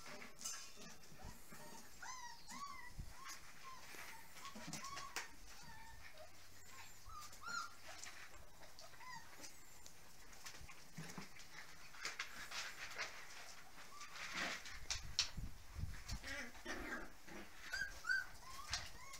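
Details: Puppies nearly six weeks old, recorded indoors in 2014, giving faint, high, thin whines, short rising and falling squeaks repeated in clusters early on, then sparser whimpers over soft rustling and handling noise.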